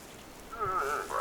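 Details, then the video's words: A moose cow on Estonia's Saaremaa island, in forest and moor during the September rutting season, gives wavering, nasal mating moans that signal to the bull she is ready to mate. "The mating calls of the elk cow acoustically signalize to the bull her readiness to mate."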